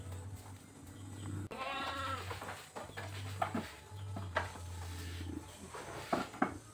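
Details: Boer goat at a village goat farm where Boer goats are crossed with small native goats: one wavering, harmonic bleat near the two-second mark, followed by scattered knocks and clicks over a steady low mechanical hum.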